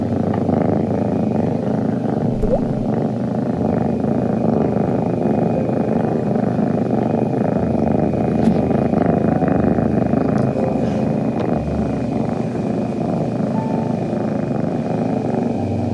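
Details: Two kittens, Kongi and Nibi, purring together on a cat tower indoors while grooming each other, the first time they have made this sound; a steady low rumbling drone runs unbroken throughout, with a few faint clicks and soft voices.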